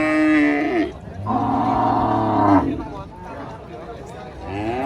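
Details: A giant female cow rampaging while being loaded, under a large tree: a short moo, then a louder, drawn-out, deep harmonic bellow of about one and a half seconds, with a softer rising moo near the end.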